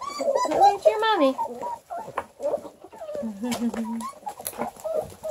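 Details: Hungry Redbone Coonhound puppies near Kingston, Ontario, Canada, several overlapping high whines and squeals with wavering, bending pitch, loudest at the start, then choppy yelps and a steady low whimper.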